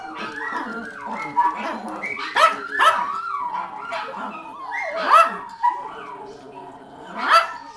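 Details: Several pet dogs howling together, set off by hearing a recording of their own howling from the day before; overlapping wavering, sliding howls with sharp barks breaking in repeatedly.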